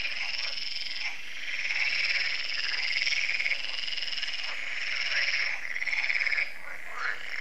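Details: Evening frog concert at Lac de Sabatte in France, held every year, with frogs croaking as solar lamps switch on. Countless overlapping, fast-pulsed croaks merge into a continuous, high, rasping chorus that swells and dips slightly over several seconds.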